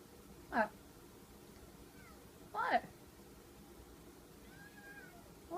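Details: Domestic cat meowing indoors: two short, loud meows that swoop up and then down, about two seconds apart, with a fainter third call starting at the end and people chatting quietly in the background.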